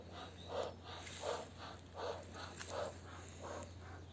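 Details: Jack Russell Terrier breathing in steady soft pants, about six breathy puffs spaced roughly three quarters of a second apart, over a low steady hum.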